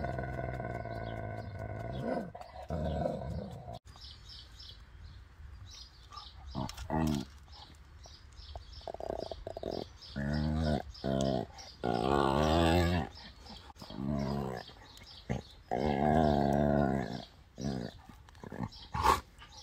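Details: Two dogs, a female Labrador over 12 years old and a 2-year-old German Shorthaired Pointer, in close physical play. Bursts of harmonic growling and moaning vocalizations come repeatedly and unevenly, with quiet gaps and a few sharp clicks.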